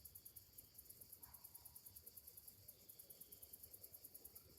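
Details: Cicadas singing on a summer morning: a fine, very high pulsed chirring that repeats rapidly and evenly, about six pulses a second, over a soft low rumble.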